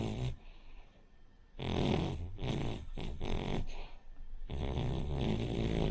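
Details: Loud, harsh snoring from Rin, a sleeping Cavalier King Charles Spaniel, a short-nosed breed. Rasping, noisy breaths come in uneven bursts, one after another, with a brief quieter stretch early on.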